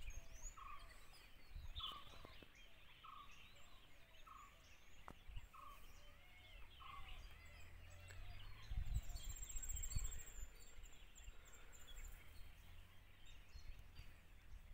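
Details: Dholes (Cuon alpinus) give short, clear, mid-pitched whistles about once a second over a busy bird chorus in Tadoba national park, where wild dogs and a wild boar attack a deer.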